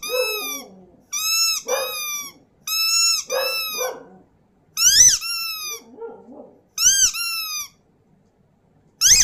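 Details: Dog howling and yipping in repeated short-to-medium high notes, some arching upward then falling, mixed with lower grumbling yelps and brief silent gaps.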